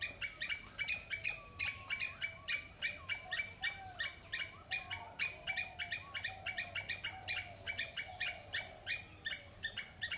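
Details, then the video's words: Squirrel calling with quick, dry, clicking chatters, close to three per second for the whole stretch, a few notes louder near the start; faint wavering whistles sit quietly behind. "squirrel sound"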